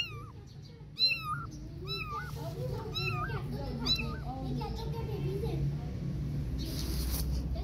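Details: Kittens without their mother mew in quick high, bending cries during the first few seconds, then fade into softer lower sounds and a rustling, hissy background.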